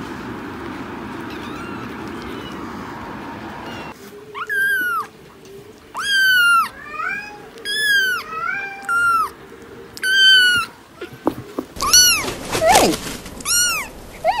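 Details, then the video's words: A few seconds of low rumbling background give way to a kitten's repeated high-pitched meows, short arched cries roughly one per second, ending with a louder, rougher squeal. "Cats Meowing – Kittens Meowing Video – Cute Kitten Meowing Videos – Funny Cat Meows"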